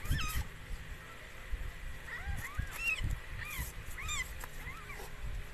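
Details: Mikey, a rescued stray cat, giving birth to four kittens of the same color; a run of short, high, arching mews comes in quick succession, some rising then falling, over a steady low rumble.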